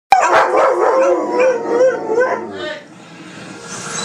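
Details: Dogs howling during 4th of July fireworks in 2012: wavering, sustained howls rising and falling in pitch over about two seconds, then fading into quieter background noise.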